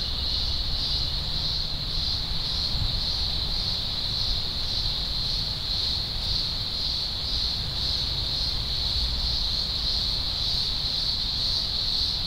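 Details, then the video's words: Thousands of green grocer cicadas from a large emergence in the Blue Mountains, Australia, early October 2020, form a steady, deafening high-pitched drone that never breaks, over a constant low rumble like wind or distant traffic. "Blue Mountains Cicada Chorus"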